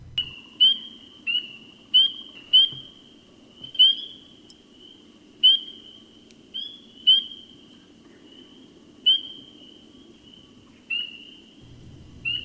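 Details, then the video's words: Northern spring peepers, small frogs about an inch long, give high, piercing whistled peeps, several callers overlapping over a low rumble; the call can carry over a mile on clear, low-wind nights. "now what was that sound well that high-pitched whistling was a small frog called the northern spring peeper okay and"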